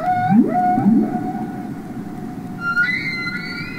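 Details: Humpback whales singing and communicating underwater on Capitol Records ST-620: a held tonal moan broken by a low rising swoop and grunts, then a higher wavering wail entering near the end, over soft hiss.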